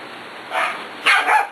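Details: Six-week-old puppies playing with Bea, an adult dog who joins them every night; two short, bright yappy barks, the second longer and doubled, over a quiet room.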